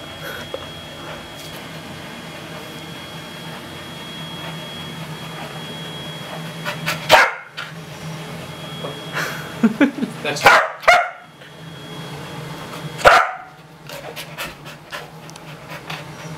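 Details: A 4-year-old corgi trying to get a rawhide from his owner gives a few sharp, scattered barks and yips over a low steady background hum.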